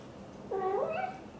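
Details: Mother British Shorthair cat Xaxa, blue golden, indoors talking to her tiny kitten Piano while hugging it: one short rising-then-falling meow, nasal and harmonic-rich, lasting under a second in a quiet room.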